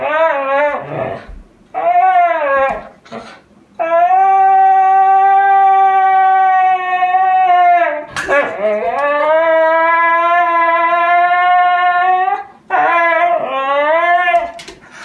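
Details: Siberian Husky howling indoors in a small room: long sustained, tonal howls that swell upward at the start and hold a steady pitch for several seconds, broken by brief pauses and short wavering yelps between them.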